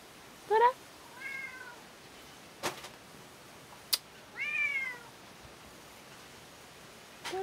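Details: Orange-and-white domestic cat meowing indoors: four short, rising-then-falling meows spread over several seconds, with a couple of sharp clicks between them, while a person repeatedly calls the cat's name.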